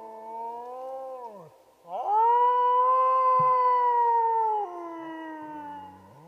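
A wolf gives long, smooth howls, one falling away before a second swells up and holds steady.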